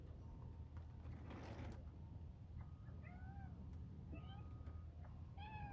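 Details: Domestic cat wanting to go in, outdoors at bedtime on January 19th 2023 while small birds are fed; three short arched meows in the second half over a steady low hum, with a brief rustle and a faint tone earlier.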